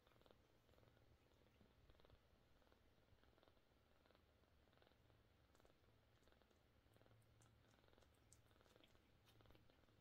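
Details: A mother cat with her kittens purrs in a steady, soft low rumble with an even pulsing rhythm that runs unbroken for the whole stretch, with faint scattered clicks and rustles above it.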